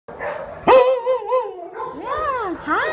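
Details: Unaltered male black-and-white long-coated Alaskan Malamute, about three years old, at a shelter in South Los Angeles; a sharp bark opens into drawn-out, wavering howl-like moans that rise and fall, followed by two arching whines.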